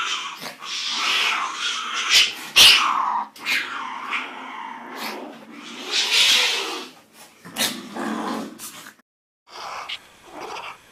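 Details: A cat of a rare type gives a run of wavering, growling yowls that rise and fall in pitch, with short breaks between uneven bursts and a brief silence near the end.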